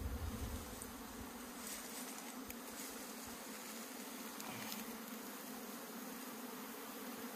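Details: Honey bees buzzing in an opened hive that is full to bursting with honey, kept by beekeepers in Meilin, Puning, Guangdong, China. A continuous low drone with layered overtones, with a slightly louder rumble at the very start.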